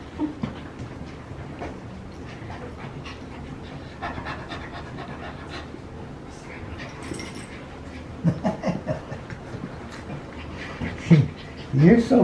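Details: Playing French Bulldog puppies at a kennel in Drain, Oregon: quick, uneven panting puffs run throughout, growing louder toward the end, where squeaky whines and high yips break in.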